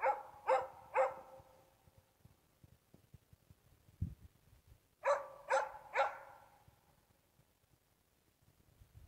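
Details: Hunting dog Rasken holding a bull moose at bay during a hunt, after a four-hour fixed bay. Two bursts of three loud, sharp barks, about half a second apart, separated by quiet with faint rustling and a low thump.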